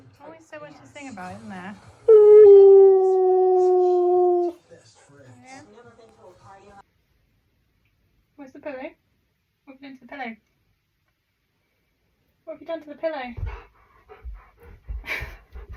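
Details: Pet Husky making strange sounds on an ordinary day indoors: a loud, steady, drawn-out howling whine lasting over two seconds, with short wavering yips and grumbles before and after, and people talking in between.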